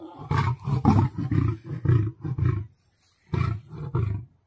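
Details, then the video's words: Roaring lion during a battle with a tiger, a quick series of hoarse, low grunting bursts, a short silence, then two more heavy roars. "Lion vs Tiger full battle HD original sound"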